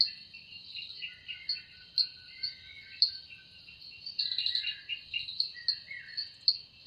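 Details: Evening forest cicada song, which the wings are said to produce: a continuous shrill buzz with regular louder pulses, mixed with short chirping and whistled notes from other callers.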